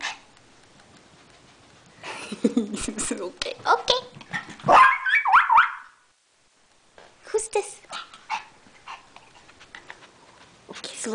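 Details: Mac the house dog reacts to another dog indoors with a short burst of barks and whines around the middle, amid a person's excited talking, then a pause before more talk and shuffling.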